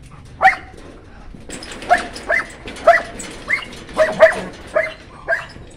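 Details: White German Shepherd puppies giving a run of short, high yapping barks, about ten sharp yips scattered over several seconds, some in quick pairs, with a quiet background.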